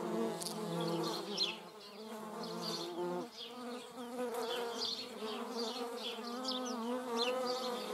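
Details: Droning German wasp hum with shifting pitch, briefly quieter near the middle before resuming, set against a background of frequent high, short bird chirps.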